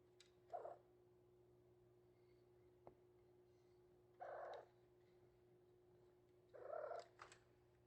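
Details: A 3-month-old male Maine Coon kitten, caged and wanting out, gives three short, hoarse, breathy meows spaced a few seconds apart over a steady low indoor hum.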